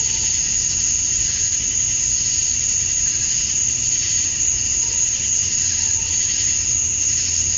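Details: Summer dusk chorus of male cicadas in Georgia, USA, singing to draw females: constant shrill droning hiss, an unwavering very high whine riding over it, level throughout with a soft low hum underneath.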